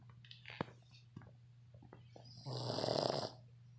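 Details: A 7-month-old red Boston Terrier, asleep, gives one long, rasping snore after a few soft clicks and breaths.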